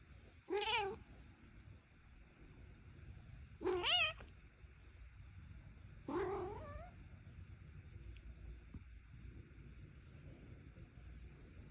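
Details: Domestic cat interrupted while kneading, giving three short wavering meows about three seconds apart, each rising then dropping, followed by several seconds of quiet room hum.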